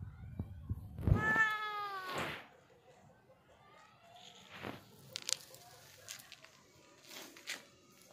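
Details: Black domestic cat letting out one rising-then-falling meow lasting about a second, followed by rustling, clicks and low background noise.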